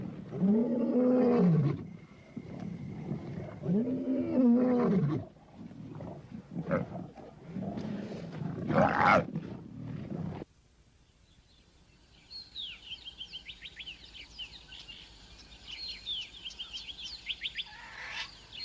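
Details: Lion roaring at night in the southern African bush: several deep, drawn-out roars with strong low harmonics fill the first ten seconds, followed by quieter, rapid high chirping from birds or insects.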